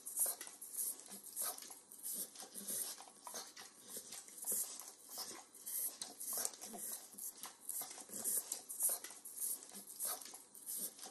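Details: A 9-year-old Pit Bull indoors in a kitchen licks overcooked bacon: steady wet, clicky smacks repeating about every two seconds, crisp and close, with faint room hiss and no voices.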